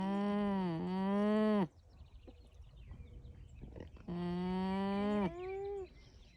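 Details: Alpaca. Two long, reedy hums from an alpaca, each lasting over a second, hold a steady tone before bending down at the close. Between them come soft rustles and faint background noise.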